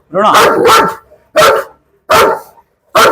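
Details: Bruno, a leashed German Shepherd in Perumbavoor wearing a body belt harness instead of a choke chain, gives a drawn-out growling bark followed by three sharp barks at roughly one-second intervals.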